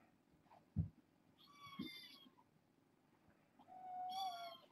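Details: Foster kittens settling down at bedtime, a litter of four females and two males born August 29 to a family pet and passed on by Purrfect Pals; two clear, high, drawn-out kitten meows, the second longer and wavering, with soft thumps indoors.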